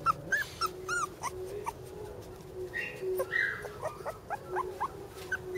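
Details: Border Collie puppy sisters whimpering in thin, high, rising-falling squeals, several per second and irregular, with soft yips and light rustling between.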